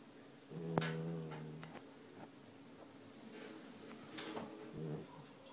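A Siberian Husky puppy snores softly, with low buzzy breaths that rise and fade.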